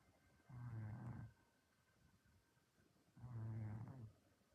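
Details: Sleeping orange domestic cat snores while dreaming after an active day, giving two deep, rasping, drawn-out snores of under a second each, about three seconds apart, with quiet breathing between them.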